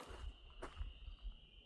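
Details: At night on a wooded ATV trail, a distant chorus of spring peepers, possibly tens of thousands, blends into a steady, high-pitched ringing tone over low rumbling noise.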